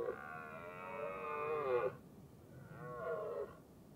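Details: Red deer hind and her big calf in the mating season, herded uphill by a stag; one long nasal, harmonic moan of nearly two seconds that dips and wavers, then a shorter, softer call after a brief pause.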